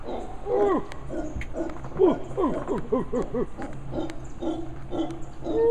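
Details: A large male howler monkey by the Sarapiquí River, Costa Rica, in lowland tropical rainforest, gives deep, rasping roars in quick repeated bursts, rising and falling like coarse grunts.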